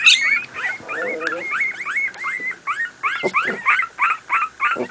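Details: Two-week-old Miniature Pinscher puppies, born 28 July 2008, playing: rapid, high, bending squeaks, whines and squeals, several voices overlapping.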